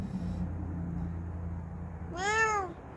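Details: Bengal cat lounging at rest lets out one arched, rich-toned meow near the end, preceded by a low steady hum in a quiet indoor setting.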